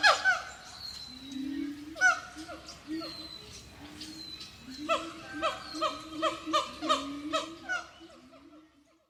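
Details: Whooping and singing siamang monkeys: scattered harmonic calls and a low rising boom early on, building into a rapid, steady series of bright, bouncing whoops that fades out near the end.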